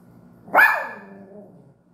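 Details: A toy poodle gives a single sharp, high-pitched bark that trails off into a fading whine.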